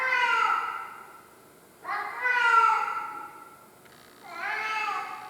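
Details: Tarzan the pet cat keeps crying with three loud, drawn-out meows, each wavering and falling at its close, separated by pauses of about one to one and a half seconds.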